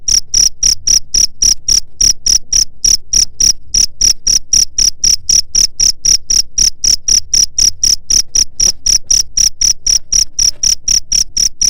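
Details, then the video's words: High, even cricket chirps, about four per second without a break for nearly twelve seconds, played to keep rats away. "SUARA JANGKRIK PENGUSIR HAMA TIKUS"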